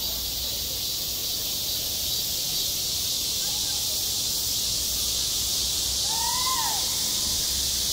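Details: Cicada song in midsummer at a school playground, a constant bright hissing drone, joined after six seconds by a short whistled tone that rises and then falls away.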